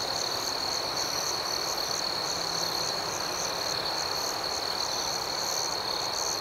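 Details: Nighttime crickets keep up a continuous high-pitched trill with soft pulsing accents, set over a wash of low, hissing background noise.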